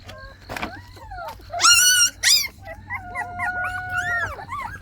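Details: Active Jindo puppies with their mother let outside, giving thin tonal whines that slide up and down, then a burst of loud high yelps in the middle, followed by longer drawn-out whimpers.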